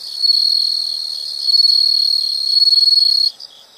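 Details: Insect calling in a nature setting: one close, loud, continuous high trill with a fine rapid pulse lasting over three seconds, then stopping abruptly, leaving faint chirps.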